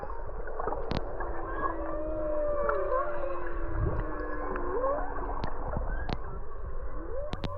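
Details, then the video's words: Humpback whales singing underwater in winter at Black Rock, Kaanapali, Maui, captured on an action camera while snorkeling: long moaning tones that rise and fall and overlap, with sharp clicks and snaps and a steady watery hiss. "in the winter months, you can actually hear the humpback whales singing underwater. You don't need any special equipment. I just use my action camera to record the sounds you're hearing right now."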